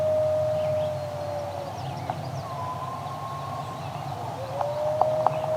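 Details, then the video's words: Eastern coyotes, the song dogs, howling in chorus outdoors: long sustained howls slide and overlap, one voice gliding higher then holding steady, with brief yips breaking in near the end over a low background rumble. "Yes, you just heard a chorus of eastern coyote, also known as the song dogs."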